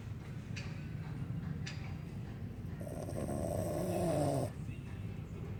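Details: Dog snoring while asleep: steady low rasping breaths run throughout, rising into a louder, longer drawn-out snore near the end before easing off, with a couple of faint clicks early on.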